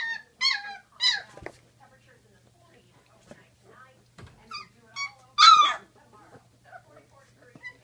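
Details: Great Dane pups at sixteen days old let out shrill, rising and falling squeals and whines in short bursts. The loudest cry comes past the middle, with quiet gaps and faint thumps between.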